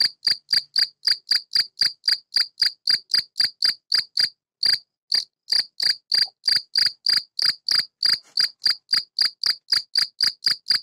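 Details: Stridulation of a field cricket (Gryllus campestris) sheltering in a tortoise greenhouse, an adult male calling for females. Bright, piercing chirps repeat quickly and evenly, broken by one short gap near the middle, then resume for about forty chirps in all.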